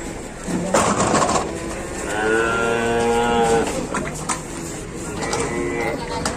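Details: Cattle being loaded onto a truck in Indonesia: one drawn-out tonal moo lasting about one and a half seconds amid loud clatter, engine rumble and people's voices.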